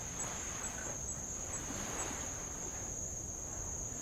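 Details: Insects of Avalau island, Tonga, near old lava: a thin, steady high-pitched drone with no pauses, over a low murmur of light waves and a faint wash around the midpoint.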